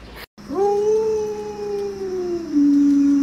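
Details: Pet Alaskan Malamute named Luoluo calling to rouse a sleeping owner late in the morning: one long steady howl that starts with a quick rise, holds level, then drops to a lower, flatter tone at the end, with faint background hum.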